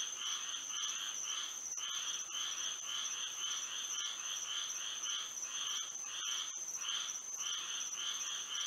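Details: Night frog chorus in Florida by moonlight, a quick series of buzzy pulsed calls with short gaps and overlapping voices, set against a continuous shrill insect whine.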